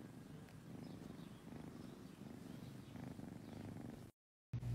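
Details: Low, continuous purring from a cat, pulsing evenly for about four seconds before a sudden cut to silence and then a brief burst of low noise at the end.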